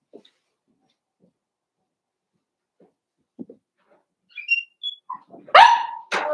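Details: Blenheim Cavalier King Charles Spaniel puppy from a New Year litter of five, giving soft whines that build into two loud, shrill yapping barks near the end after a quiet start.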